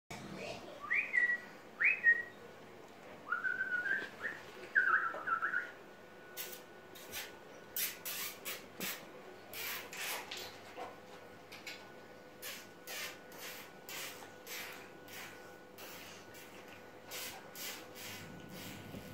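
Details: A red Staffordshire Bull Terrier puppy gives a few thin, high whines, some rising and some bending down.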